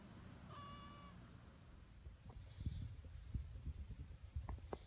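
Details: A homemade recording of a pet cat with its humans: one short, level meow lasting about half a second, rich in overtones. Soft rustling and handling noises follow.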